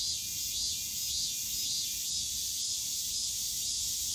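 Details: Summer cicada chorus in the bamboo grove of Yongsan Family Park: a steady, shrill high-pitched drone, unbroken for the whole stretch, with faint low park noise beneath.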